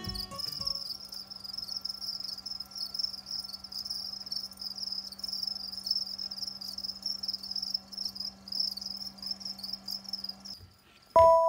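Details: House crickets bred in captivity as live food for rain frogs: a continuous, loud, high-pitched trilling that wavers slightly in strength, over a faint low hum, cutting off abruptly near the end with a brief clunk.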